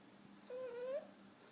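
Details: Five-month-old French Bulldog puppy snoring while asleep, making one soft, thin whistling tone about half a second long that holds steady and lifts slightly at the end, against a quiet background.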